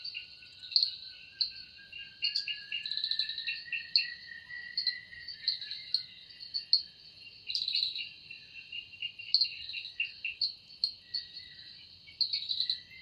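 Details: Cicada singing in a forest in the evening, its sound said to come from the wings: a steady, high buzzing drone with rhythmic pulsing bursts, and a long, slowly rising thin tone running underneath.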